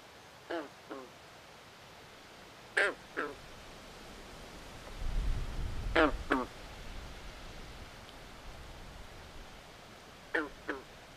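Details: Frogs in a swamp at night give brief raspy quacking croaks, mostly in pairs spaced a few seconds apart, with a soft low rumble in the middle and steady background hiss.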